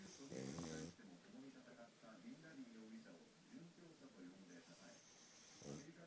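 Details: Pug Futa asleep, snoring hard because of its short nose: a loud raspy snore opens, followed by softer wavering, whistly breaths, then another rough snore near the end.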